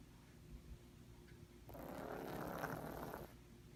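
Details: Sleeping house cat Holly, troubled by sinus problems, lets out a loud snore: a single harsh, fluttering breath of roughly one and a half seconds rising out of a quiet room.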